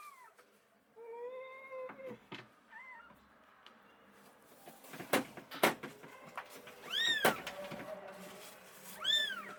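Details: Rescued stray kitten, abandoned and frozen for two days in -11°C snow, calls with a series of drawn-out meows, some arching up then falling, amid knocks and clattering sounds nearby.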